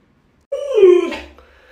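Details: A single clear whine from Luoluo, a pet Alaskan Malamute begging indoors for watermelon. It starts abruptly, swells, then dips slightly in pitch before fading into quiet room sound.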